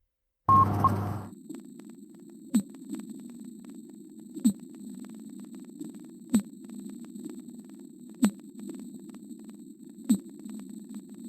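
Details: A fin whale, recorded in the Atlantic Ocean in 1998, gives pulses at a steady beat, each a short thump over a low, droning hum.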